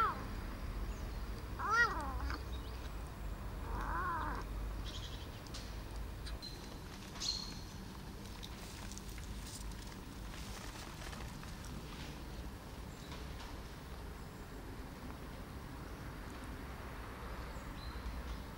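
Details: Rescued male kitten, abandoned by its mother, now six months on. Two short wavering meows come early, then a long stretch of quiet room noise with faint rustling.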